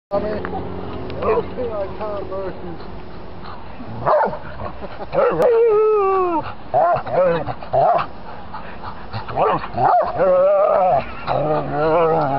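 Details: Three pet dogs, Yicha, Bree and Toby, play fighting in their favourite game of ganging up on Toby; rough growls and short yips mix with wavering whiny harmonic calls, while a person talks over the scuffle.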